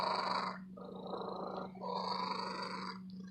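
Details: Female domestic cat, a shop cat, purring loudly and steadily; a continuous rough, breathy rumble in cycles of about a second, with brief dips between breaths and a constant low hum underneath.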